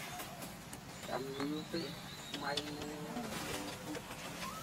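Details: Short-tailed macaques at Angkor Wat, a baby with its siblings and mother, give short, harmonic, wavering calls against a steady hiss of background noise.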